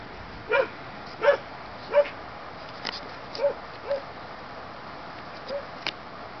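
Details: German Shepherd puppies from the Aqua and Tiger litter born 7 July 2012, giving short high yipping barks, about seven spaced through the stretch at irregular intervals, over a steady background hiss.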